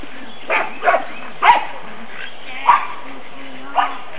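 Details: Nine-week-old black and fawn pug puppies romp around a yard in spring sunshine, giving five short, rough yaps at uneven intervals over about four seconds, with a low steady hum underneath.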